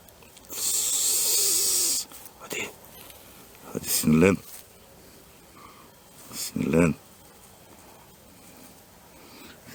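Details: Grass snake (Natrix natrix), a semi-aquatic snake, badly angered when first caught and handled. It gives a loud breathy hiss lasting about a second and a half, then shorter bursts, with human voices talking nearby.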